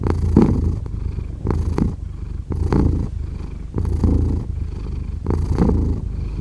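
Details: Domestic cat purring steadily, a low rumbling throb with breathy swells about every 1.3 seconds, each inhale and exhale cycle audible; quiet indoor setting with no other sounds.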